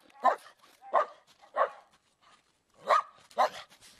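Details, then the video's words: Loud dog barks: three harsh barks at intervals of about 0.6 seconds, a short quiet gap, then two more barks close together. "Dogs BARKING LOUD Compilation"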